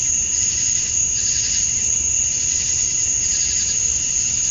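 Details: Male cicadas chirping to attract females at dusk on a summer night in Georgia, USA: a dense, unbroken high-pitched hiss with a steady whining edge and gentle pulsing swells, loud and constant throughout.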